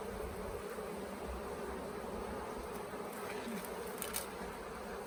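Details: Late-season honey bee swarm at the Tamarind Tree Hotel, bees hesitating over settling in a nuc box during capture; a continuous, even, low buzzing drone throughout with no pauses.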